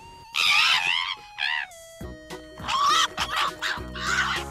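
A fox gives harsh, high, wavering screams in short bursts over steady background music.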